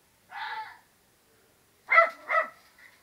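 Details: Domestic dog barking back and forth with a fox as if in conversation: one hoarse bark, a pause, then two quick sharp barks, followed by a man saying "come here".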